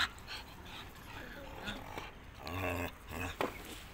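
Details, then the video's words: A puppy barks in short, harsh bursts near the end, about two yelps close together, while people talk nearby throughout. "Dog 🐶 puppy-cute Barking nidiyan dog 🐕"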